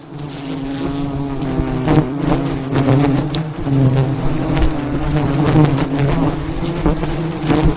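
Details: Thousands of wild bees around a giant hive being harvested by a honey hunter in the mountains; loud, steady, deep droning hum with layered tones, thumps and handling noises throughout.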